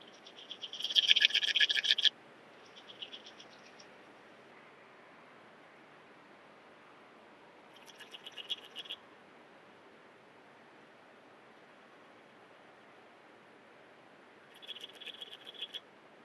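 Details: Antaxius pedestris, the common mountain bush-cricket, at Huben in Austria on 8 September 2020, recorded through a Pettersson D 100 ultrasound detector. It gives sharp, scratchy bursts of rapid pulses, a loud one followed by fainter ones several seconds apart.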